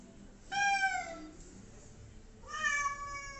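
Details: Two domestic cats indoors, being bathed and waiting for their shampoo to take effect; two loud drawn-out meows, the first falling in pitch, the second fairly level, about two seconds apart.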